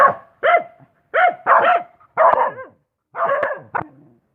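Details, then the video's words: A dog gives single loud barks spaced about half a second to a second apart, each bark harsh and clipped with a short trailing tail. "Suara Anjing"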